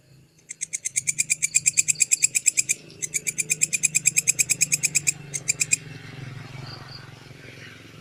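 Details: Walang kecek grasshopper as tutor material for lovebirds: shrill, rapid pulses at about three per second in several runs broken by short pauses, over a steady low hum, then fading to quiet background.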